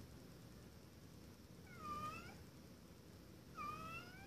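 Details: Male house cat Blue calls a "hello"-like meow, asking to come in; two drawn-out meows, each rising then falling, about two seconds apart, over a quiet indoor background.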